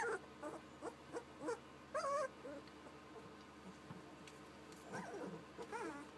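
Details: Little puppies making cute sounds: a run of high, wavering whimpers and short squeaky yelps in scattered bursts, with longer quavering whines near the middle and end, over a faint low background hum.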